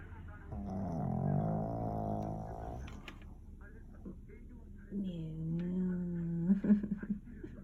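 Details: Pon-chan, a black Pug deep asleep indoors the day after a brush with heatstroke, gives long nasal, wheezy snores with a tonal, whistling edge, one lasting over two seconds, followed by a rising-and-falling drawn-out snort.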